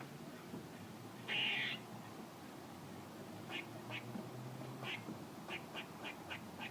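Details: A squirrel makes noises: one harsh buzzy note early on, then a loose series of short, clipped chuck sounds, about eight, over low background hiss.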